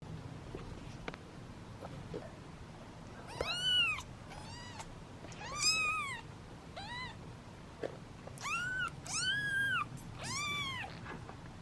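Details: Hungry kittens, part of a litter of seven sitting in a basket and waiting their turn at feeding time, give impatient high meows. Each call rises and then falls, in bursts of two or three with pauses between. A faint indoor background hum runs underneath.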